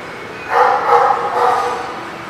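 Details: Dog at The Barking Lot, 30 March 2019, giving one drawn-out, harsh bark that lasts over a second and wavers slightly in pitch, over a faint steady hum.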